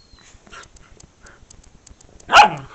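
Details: Whippet puppies from Blu's litter on their first day out, 2015; after quiet rustling and faint ticking, one sharp, high yelping bark bursts out near the end.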